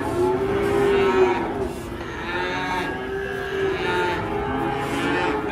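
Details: Rare giant PO cattle at a market, stirring up the crowd: a long, drawn-out lowing moo with steady harmonic bands that holds for over a second, then softer lowing continuing beneath background music.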